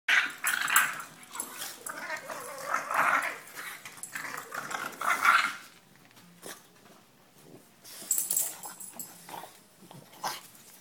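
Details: Two French Bulldog sisters wrestle, making rough, snorting growls and grumbles in bursts, with a pause midway.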